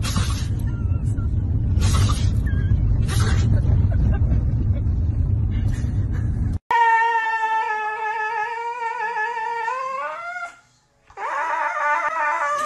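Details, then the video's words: Siberian Husky puppies talking to their owners: a long, steady, harmonic howl-like vocalization that rises in pitch at its end, followed by another short cry, after several seconds of low engine-like rumble. "husky puppies talking to owners"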